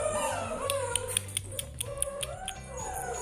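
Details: Playing six-week-old Bernese Mountain Dog puppies, one of nine in the litter, give long wavering whines and howl-like notes rising and falling, over scattered clicks and taps and a steady low hum.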